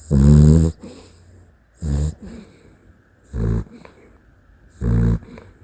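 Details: Sleeping Dachshund giving four rough, low snores about every one and a half seconds, the first loudest, with soft whistling breaths after each.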